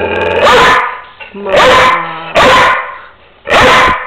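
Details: Pet dog urged to say mama for Mother's Day, answering with four loud, rough barks about one second apart, while a person speaks softly and music plays between them.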